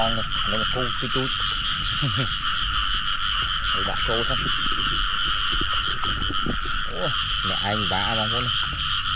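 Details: Frogs croaking in rice fields on a rainy day; repeated groups of harsh, pulsed croaks rise and fall against a continuous shrill background chorus, while a man talks and water splashes.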